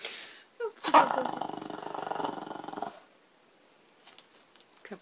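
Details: Shih Tzu named Tobee, indoors, guarding the TV remote he holds hostage; a rough, buzzing pulsed growl lasting about two seconds, followed by quiet with faint small sounds.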